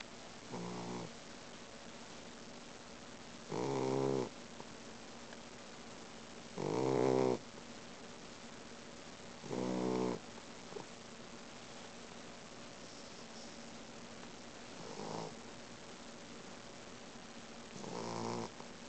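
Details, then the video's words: Boxer puppy snoring loudly while asleep; rough, buzzy snores come in bursts about every three seconds, some louder and some fainter, over a quiet steady background hum. "Boxer Snoring"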